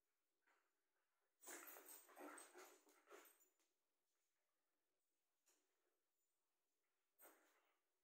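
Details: Playful whippets romping inside: a cluster of harsh, breathy grunts and huffs lasting about two seconds, then quiet, with two short single snorts spaced a couple of seconds apart against a faint background hiss.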